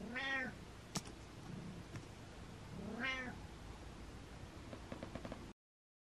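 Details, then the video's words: House cat calling with two arched, nasal meows about three seconds apart, a sharp knock between them and light tapping sounds afterwards. "Cat Meow Meows"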